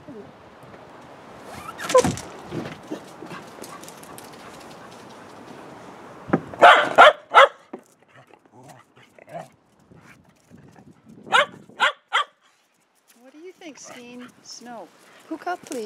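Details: Dog asking to go out, giving loud sharp barks in two short clusters, the first after a stretch of talking, then soft high wavering whines near the end, with a person speaking between calls.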